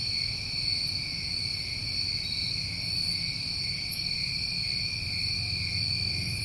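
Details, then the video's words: New England summertime crickets in a steady, unbroken chorus: two bright, continuous trilling bands, one high and one higher, holding even throughout, with a soft low rumble underneath. "Tinnitus Masking With Crickets"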